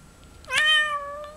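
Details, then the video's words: Bengal cat, female, indoors talking with her owner about her new bed, gives one clear meow that rises then levels into a long drawn-out tone, roughly half a second, in a quiet room. "Talking with my Bengal Cat, Amber About her new bed"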